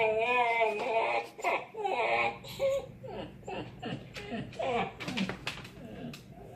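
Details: A one-year-old female Siberian Husky, lying in her crate after dinner, whines in wavering, high-pitched, voice-like bursts that rise and fall. She only started making this noise a few months ago and also does it with toys in her mouth.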